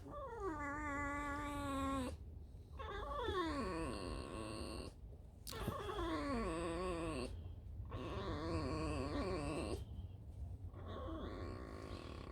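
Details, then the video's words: Tame female fox kept in an enclosure, resting and squeaking after a night out: drawn-out, nasal, harmonic whines in bursts of about two seconds, some sliding downward, separated by short silences. "Алиса - лиса. Просто скрип"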